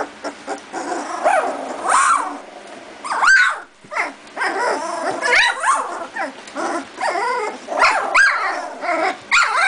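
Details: Two-and-a-half-week-old Doberman puppies playing together, just starting to bark at one another; rapid high yaps, squeals and small growls overlapping almost continuously.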